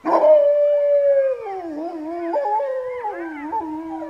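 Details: Georgian Shepherd dogs howling: a long steady note slides down, then several overlapping voices waver and break between higher and lower pitches, a layered mournful chorus with no other sounds.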